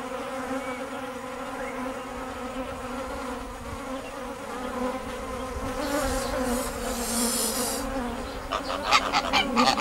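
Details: Kept bees droning steadily with a low harmonic hum; near the end sharper crackling and rustling sounds break in over the buzz.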